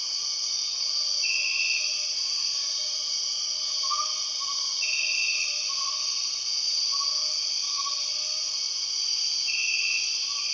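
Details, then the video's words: Empress cicadas in the Borneo rainforest: a loud, steady, high buzzing drone runs throughout, with short brighter bursts repeating every few seconds and soft lower whistled notes from other jungle callers beneath. "The weird sound of empress cicadas"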